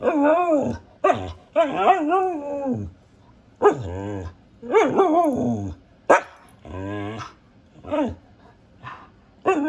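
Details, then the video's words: A female Siberian husky, a household pet, keeps up a run of wavering, yodelling talk-howls and grumbling barks, each a second or so long, rising and falling in pitch with short pauses between. "Siberian Husky Barking, Howling, and Talking"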